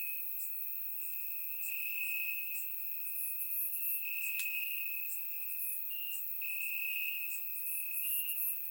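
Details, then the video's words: Crickets in grass on a warm Bulgarian summer night, surround-microphone recording: an unbroken high ringing trill that wavers slightly in pitch, with a few brief gaps, overlaid by scattered faint, very high chirps. "Cricket Sounds - Crickets Chirping at Night"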